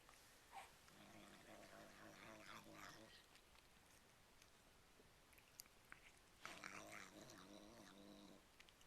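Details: Domestic male cat making odd chattering, murmuring noises while eating cat treats, like a repeated "yum yum yum", in two bursts of about three seconds each separated by quieter chewing, in a small indoor room.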